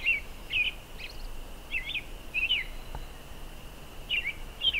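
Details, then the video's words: ['A really loud bunch of spring peepers: clear, sharp, high upslurred peeps repeat every half second or so in irregular bursts over a faint continuous chorus.'] "Spring Peepers"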